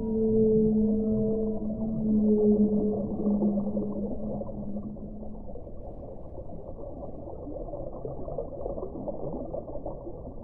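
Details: Whale moans, several stacked, even tones heard clearly for the first five seconds, then fading into a continuous low rushing, watery background.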